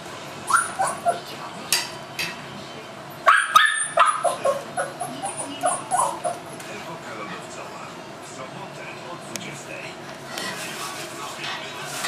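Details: At Himaldog Kennel, a seven-week-old Tibetan Mastiff puppy lets out a cluster of brief, sharp yips and whimpers over a few seconds, followed by quieter stretches with faint voices and household noise.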